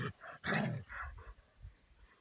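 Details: A ten-year-old Basset Hound playing with another Basset Hound at a dog park lets out a couple of deep, husky barks followed by quieter low grumbles.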